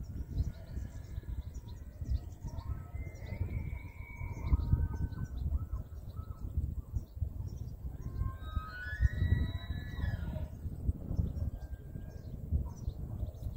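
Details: Wapiti in Hurunui, New Zealand, making weird sounds: thin rising whistles with squeaky overtones in two bursts, near the fourth and ninth seconds, over steady low wind rumble.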